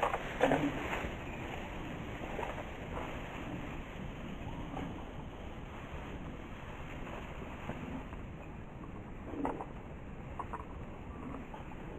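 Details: Steady wind rumble and rustling across the field with a few soft thumps and no animal voice.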